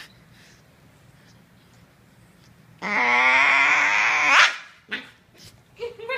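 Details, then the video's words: Bull Terrier puppy making a noise likened to a Tasmanian devil: a loud, sustained harmonic whining growl lasting about a second and a half, rising at the end, followed by short squeaky yelps indoors. "Bull terrier puppy making Tasmanian devil noise"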